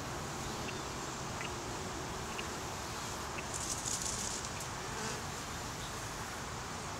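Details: Swarming honey bees gathered on a small tree branch give an unbroken, even drone of countless wings, with a brief burst of higher-pitched chirping near the middle.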